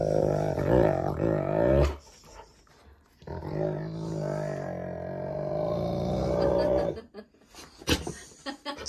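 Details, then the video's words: Cane Corso growling loudly while playing tug with a rope indoors, a game he has loved since he weighed 30 lb; two long sustained rumbling growls with a short gap between, ending in scuffling noises, with music faintly in the background. "CANE CORSO GROWLS LOUD"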